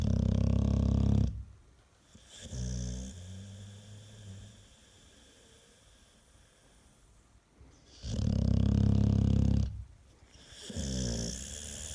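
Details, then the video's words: An American Staffordshire Terrier snoring indoors: two long, loud, deep rumbling snores with rich low harmonics, separated by quiet breathing pauses of about six seconds, plus a softer rasping breath in between. "4 Минуты собачьего храпа | Храп | Стаффорд | Стаффордширский Терьер"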